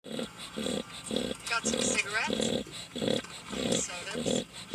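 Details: Pet dog snoring very loudly while asleep: low rasping snores about every half second, roughly nine in five seconds, with a person's voice briefly heard near the middle.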